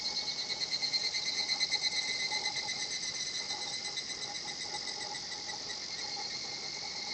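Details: Higurashi cicada singing at a quiet natural spot: a fast, high, shimmering pulsed trill, loudest and most throbbing in the first two seconds, then a steadier buzz. Fainter steady tones sit lower underneath.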